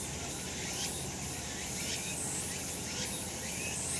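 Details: Sun-drenched summer mountain with cicadas droning, a hissing high buzz swelling in soft waves close to once a second.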